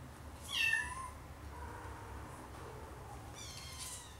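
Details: Siamese kitten with its mother and three littermates at play on a Saturday afternoon: a loud, bright, rising-then-falling meow near the start, followed by a fainter second mew near the end.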